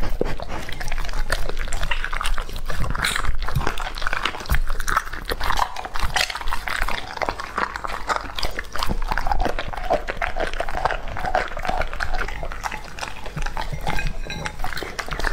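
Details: Steady wet chewing and smacking from Lucky, a male English Labrador aged two and a half, working through a raw-food meal in a small room. Rapid clicks and crunches run continuously throughout.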